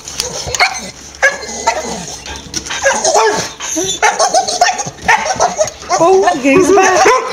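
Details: Staffordshire Bull Terrier, overexcited in the evening as its owner gets home from work and anticipating a walk, greets with wavering, talkative whines and short sharp barks.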